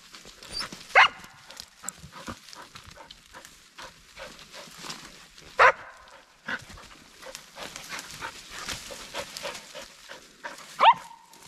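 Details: Sheba, a dog worked up by a chattering squirrel in the forest and trying to climb a tree, gives three loud, isolated barks several seconds apart over steady rustling of leaves and footsteps.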